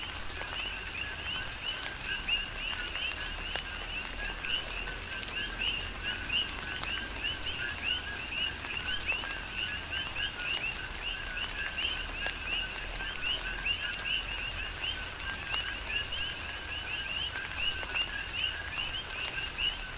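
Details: Coqui frogs calling in tropical rain on the Big Island of Hawaii: a steady chorus of many two-note calls, a lower note then a higher, rising chirp, repeated constantly, with rain pattering and scattered drop clicks throughout.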